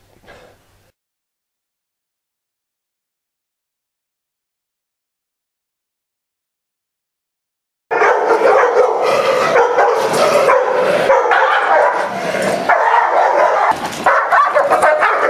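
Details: Aggressive dog being worked with in Miami: a long silence, then a sudden burst of loud, fairly regular barking, about two barks per second, harsh and ringing, for the last seven seconds.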